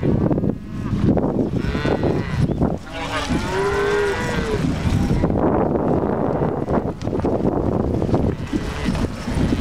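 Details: Herd of cows being driven near Missoula, Montana, several drawn-out moos surfacing over heavy rumbling and clattering noise, one clear lowing call in the middle, the rest partly buried in a dense low roar.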